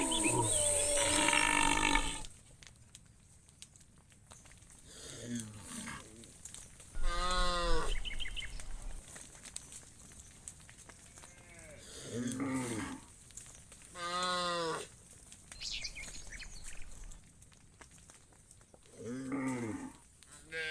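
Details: Cows roaming in the fields, calling to one another: a series of deep, drawn-out moos, some rising to a harsher bellow, roughly every two to five seconds with quiet gaps between, and a burst of rustling noise at the start.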